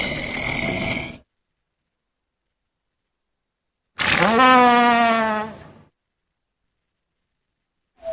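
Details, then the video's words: Walrus calling: a short rough burst, then after a gap a loud harmonic bellow of nearly two seconds with stacked, slightly wavering tones. Edited cuts to silence separate the sounds. "Walrus Sounds"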